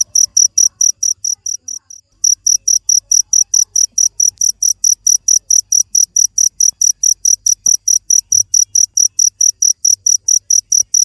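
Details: Persistent shrill cricket chirps at about two per second, the series briefly pausing near the two-second mark before resuming in a regular train; a low faint rumble underneath.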